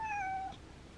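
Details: House cat indoors asking to have the window opened on a cool, windy day: one short, clear meow of about half a second, a steady harmonic tone dipping slightly at the end, then quiet room noise.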